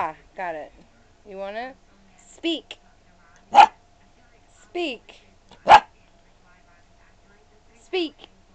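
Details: Sailor Bear, a 13-week-old Australian Shepherd/Chow and Mini English Cream Dachshund mix puppy, indoors, told to speak: two sharp, loud barks a couple of seconds apart, with a person's voice repeatedly urging 'speak' around them.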